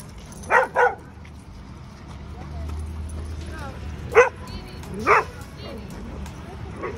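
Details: At a New York City dog park with Albino, a 10-month-old Alaskan malamute puppy of over 100 pounds, a quick double bark opens, then two more single barks, with voices and background park noise.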